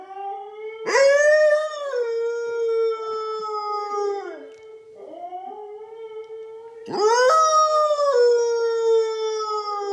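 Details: Siberian husky named Loki howling in a morning duet with its owner: three long harmonic howls, each sweeping up sharply then holding a steady, slowly sliding pitch for several seconds, with brief gaps between, indoors.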